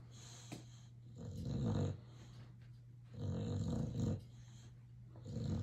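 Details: Dreaming Boxer dog snores while asleep, deep rasping breaths coming about every two to three seconds, a low steady hum underneath and a light click early on.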